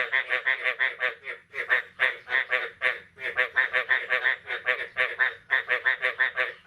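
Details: Morning frog chorus on 9 May 2022 following the first rain of the year: rapid, harsh, buzzy croaks in bursts of several, roughly three per second, separated by short pauses.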